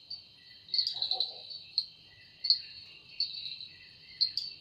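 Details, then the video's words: Evening forest cicada whose sound is attributed to its wings, giving a continuous high-pitched shrill drone broken by sharp louder pulses about once a second, with a brief low muffled burst near the start. "Woundering voice of Cicada"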